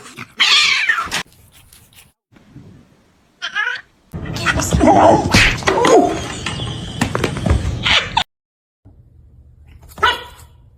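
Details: House cat in a humorous compilation, with short yowling meows broken up by quick edits and silent gaps. A noisy, busy stretch in the middle carries talking and handling sounds.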